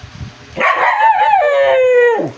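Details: Aspin dog excited at feeding time, giving one long whining howl of about 1.6 seconds that starts high and strained, then settles into a steady, slowly falling tone with rich harmonics before cutting off.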